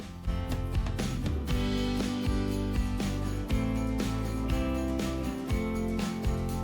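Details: Guitar-led, country-style instrumental music plays steadily throughout, with no animal sounds audible.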